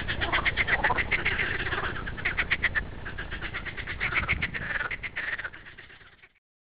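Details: Green frog giving a fast run of rasping, clicking pulses at a steady rhythm, several per second, fading out near the end over low background noise.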